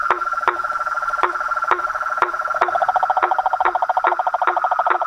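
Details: Chorus of frogs, toads and tree frogs: sharp knocking notes about every half second over a steady, fast pulsed trill, with a second trill joining midway.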